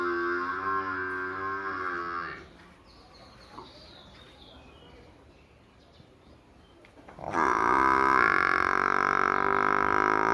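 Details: A buffalo calf in a village gives two long, loud, nasal bawls separated by a few seconds of near quiet.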